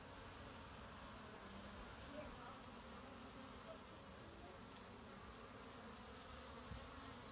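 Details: Honey bees collecting pollen in March give a low, continuous droning hum that swells slightly as individuals pass close, even and unbroken, with a faint background hiss of outdoor noise.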